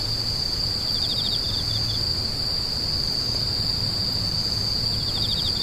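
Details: Insects crying in a steady, high, ringing trill, with a quick series of pulsed chirps around the first second and another at the end, plus a low droning hum underneath.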